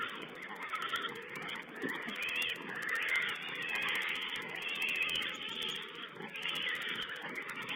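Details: Squealing wild boar piglets on a wild pig webcam on 16 April 2010, a continuous overlapping clamor of raspy high cries with fainter low grunts beneath.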